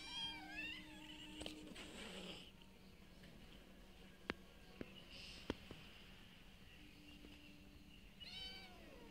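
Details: Street cats eating food given to them daily: a meow at the start and another at the end frame a quiet middle of sharp isolated clicks and soft rustling, over a constant low hum.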